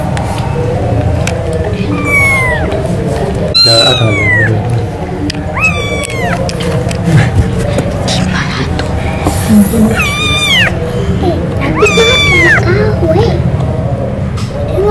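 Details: Thirsty kitten meowing for its mother's milk while children play with it; high, sliding meows repeated every couple of seconds over constant background music and chatter.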